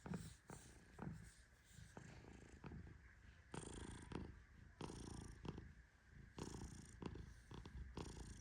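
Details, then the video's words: Tehran, a fluffy Persian cat, snores in deep sleep while being gently petted indoors: a steady low rumble with breathy hissing swells recurring about every one and a half seconds, plus scattered soft clicks. "My Cat Snores Like a Tiny Lion 🦁💤 ¡Mi Gato Ronca Como un León Chiquito!"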